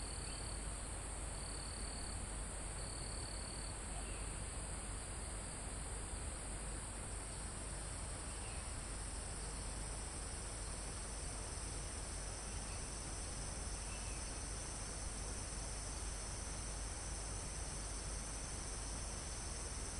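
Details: Crickets and insects trill in a steady, high-pitched chorus over a soft hiss of calm wind in foliage. This is a live recording in a forest almost at the top of a mountain.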